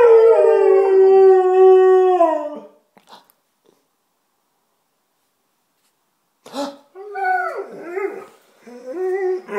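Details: Two Alaskan Malamutes howl: a long, level howl of about two and a half seconds trails off, then after a pause come bending, rising-and-falling, yodel-like howls that sound almost like talking.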